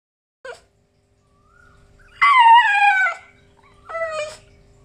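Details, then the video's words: French Bulldog named Pao Pao grumbling in the morning: a short yelp, then a loud falling, harmonic-rich whining howl of about a second, followed by a briefer steady whine. "French Bulldog หมาขี้บ่น"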